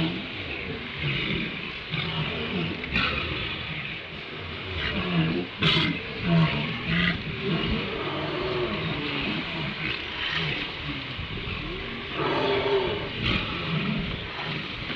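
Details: Walruses hauled out on Round Island at sunrise, heard on a live nature cam: a dense, overlapping chorus of deep, rough grunts and roaring bellows from many animals, with a steady wash of surf and wind beneath.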